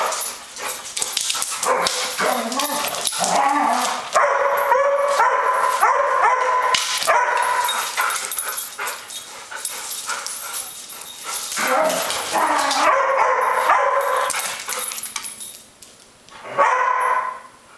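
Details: Airedale Terriers, one picking on the other: nearly continuous rough, rapid yips and growling barks, squabbling back and forth for most of the recording, briefly dropping off before a last short outburst.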